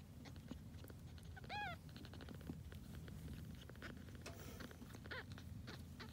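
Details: A grey tabby kitten, from a litter of a once-homeless mother cat kept by the family, gives one short high arched meow followed later by a fainter cry, over steady low rumbling background noise.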